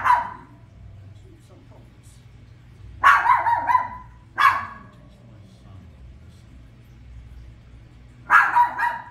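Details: Pet toy poodle barking at The Lion King on screen: four abrupt barks, one alone at the start, then a pair close together and a final bark, with quiet film sound from the television underneath.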